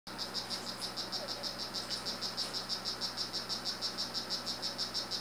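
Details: Male strawberry poison-dart frog of the 'rio guarumo' form calling: a steady, high buzzy chirp repeated about three times per second throughout, quite regular, over faint background hum.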